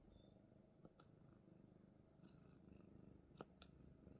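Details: Himalayan Persian cat purring while being held like a baby indoors; a steady low rumbling purr runs throughout, with a few faint soft clicks and rustles.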